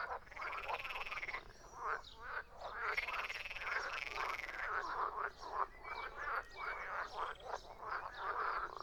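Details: Frogs croak together in a thick chorus, raspy pulsed notes overlapping, some calls rising in pitch, rhythm steady with short lulls.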